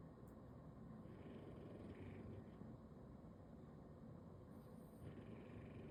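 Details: A sleeping bulldog, lying on its back on a Sunday, snores with a dense low rattling rumble, two raspier inhalations standing out in a room otherwise quiet.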